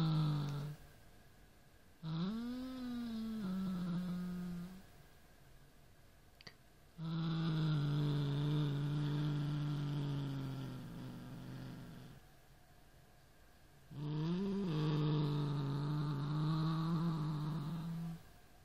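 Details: Pet Siamese cat growling at a toy rat indoors: three long, low, moaning growls, each swelling and wavering before fading, separated by quiet pauses.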